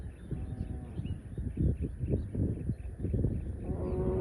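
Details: Cow grazing in a field, giving low, rough mooing calls in bursts through the clip, with a steady high whine and faint outdoor background noise.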